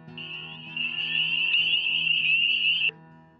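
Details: A chorus of male spring peepers sings at dusk or night in spring near a wet place, blending into a steady, high, bell-like ringing over soft background music.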